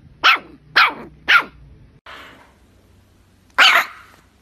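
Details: Puppy letting out three quick, high, sharp yaps about half a second apart, a soft breathy rustle, then one final louder bark.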